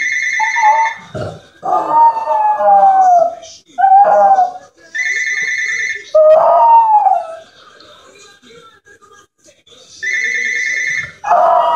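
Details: Jack Russell Terrier kept as a pet howls in reaction to a ringing home phone; drawn-out sliding howls repeat between regular electronic ring bursts, with some human voice mixed in.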